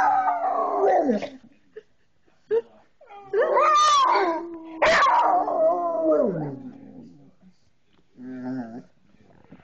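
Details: A coonhound bays in reply to a person howling, copying the human's howl. Loud overlapping howls rise and bend, then trail downward. Brief quiet spells with soft yips separate the phrases, and a weaker howl returns near the end.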